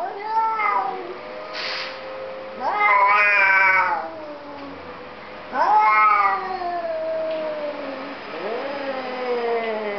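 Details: Two cats talking together in a small room, trading loud wailing meows; each call swoops up then sags slowly downward, three main calls over ten seconds with quieter overlapping replies.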